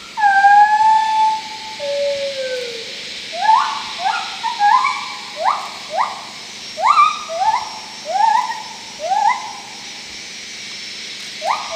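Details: Wild gibbons in Khao Yai National Park, Thailand, in May 2012: a gibbon gives long whistled hoots, then a rapid run of rising, swooping notes.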